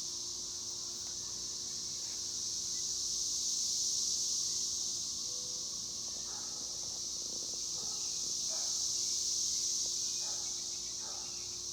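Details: Cicadas that have moved high into the trees give a loud, buzzing chorus that swells and fades twice in slow waves, with faint scattered knocks and a low steady hum beneath.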